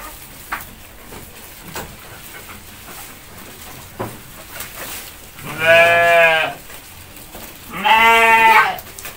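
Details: Goats eating hungrily while being hand-fed in Indonesia. After a quiet stretch of faint rustling and taps, two loud, trembling bleats follow about two seconds apart.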